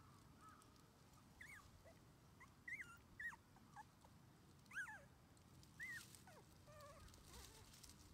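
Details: Male red Shiba Inu pup born 24 January 2021, three weeks old, being introduced to playing outside with its mother: scattered short squealing whimpers with bending pitch, several in quick succession, over a low outdoor background hum.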